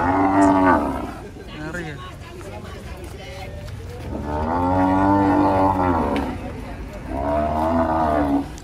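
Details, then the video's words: Agitated cows jumping down from a truck in Indonesia, 2024: loud, drawn-out harmonic moos in three bursts, the longest around two seconds, with people exclaiming and background music. "SAPI LUCU NGAMUK TURUN DARI TRUK"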